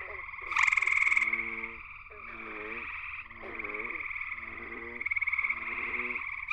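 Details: Gray treefrog, Hyla versicolor, singing from a willow at the edge of Cool Pond, West Virginia, at night. A close, loud, buzzy pulsed trill opens over a continuous trilling chorus, with lower stacked croaks repeating about every second.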